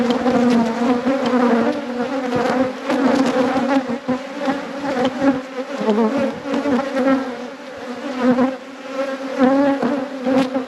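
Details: A thriving apiary's honey bee colony, inspected at peak production, fills the air with an intense, wavering buzz, steady low tones overlaid with rising and falling whines for the full length.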